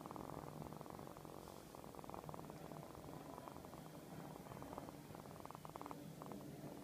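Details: A domestic cat purring up close indoors, a continuous throbbing rumble of quick even pulses that holds at a steady loudness throughout, with a faint low hum beneath.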